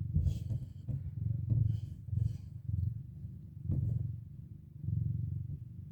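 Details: Mother cat with four kittens waking from their nap, speaking to them: a steady low rumbling purr pulsing in waves throughout, with light rustling and a few soft clicks.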